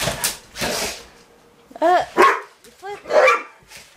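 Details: Rottweilers indoors, playing with a remote control truck, give a string of short, harsh barks, several with rising and falling arched tones, spaced roughly a third of a second apart after a quieter opening of breathy noises.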